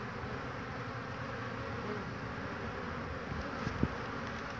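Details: Crowds of honey bees moving about an old hive knocked together from wood, 22 March 2019. The buzz is an even, low hum throughout, with a short tap just before the end.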